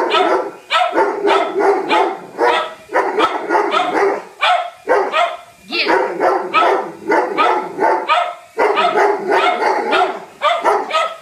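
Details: Whiskey the Doberman and Lucy the cocker spaniel attack a helicopter as an intruder, barking in a rapid, continuous volley of harsh, overlapping barks with only brief pauses over eleven seconds.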